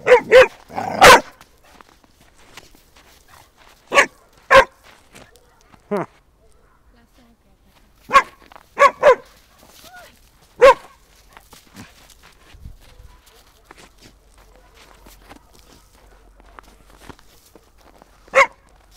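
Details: An eight-month-old Shar Pei playing in the snow gives about a dozen short, sharp barks in scattered bursts: a quick cluster at the start, pairs around four and nine seconds, then a lone bark near the end over quiet outdoor background.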